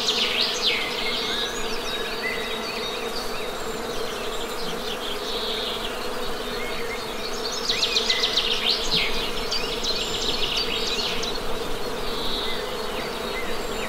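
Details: Low, even hum of honey bees runs throughout, with intermittent birdsong above it: dense trills, chirps and short whistled phrases coming and going.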